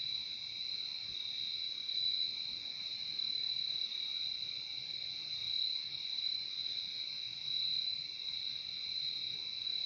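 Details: Steady cricket chorus: a continuous shrill high-pitched trill with a second, lower buzzing band underneath, swelling and easing gently over ten seconds. Nothing else stands out.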